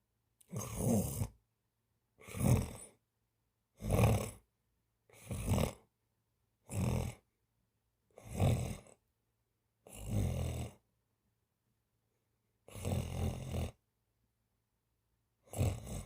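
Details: Cat snoring during a daytime nap: nine low, rasping snores, each about a second long, repeating roughly every one and a half seconds with silent gaps between, one longer pause near the end.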